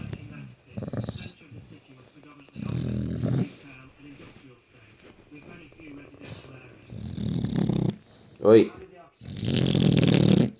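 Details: A rescue British bulldog sleeping indoors, snoring in rough rattling bursts about every two to three seconds, the last one loudest, with a person's brief voice between them.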